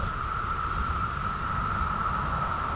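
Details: Around 11 in the morning during cicada season, a distant chorus of periodical cicadas forms a steady, unbroken high drone over low rumbling, with many dead cicadas lying nearby.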